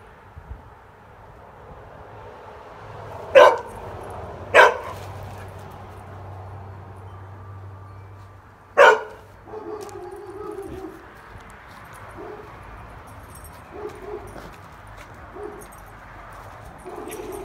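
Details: Pet dog barking at a toy squirrel held up behind a fence; three sharp, loud barks about a second apart, then a longer pause and one more bark, followed by quieter low voices and faint household noise.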